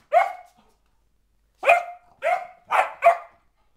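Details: A four-month-old springer spaniel puppy named Sophia, acting slightly crazy, gives one bright bark, pauses about a second, then rattles off four fast barks in a row, each clipped and tonal.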